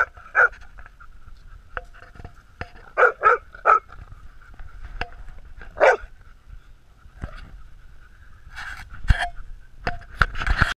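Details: Stella, Bill and Hudson, three dogs playing and roughhousing, give short punchy barks at irregular gaps, including a quick triple burst around the three-second mark, amid thumps and scuffling.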